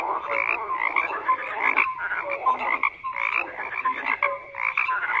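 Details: Chorus of frogs giving rapid rattling croaks and short clear notes, rising in loud bursts about once a second with brief lulls between.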